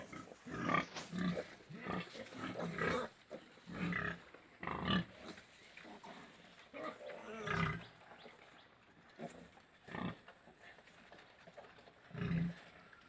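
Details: Pigs on a farm in Golaghat, giving low rough grunts and short squeals in separate bursts about every one to two seconds, with quieter shuffling between calls.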